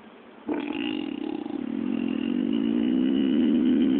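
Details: Sleeping male pig, dreaming as a dog does when it chases squirrels, breaks from quiet into a sudden sustained, buzzing, low groan that grows louder and rougher for several seconds without a pause.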